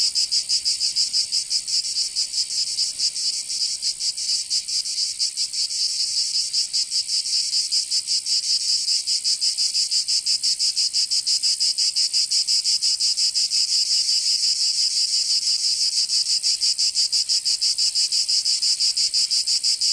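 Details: Summer chorus of cicadas in the south of France, Provence, a steady high-pitched shrill drone that pulses rapidly and evenly, about three beats a second, unbroken for the whole stretch.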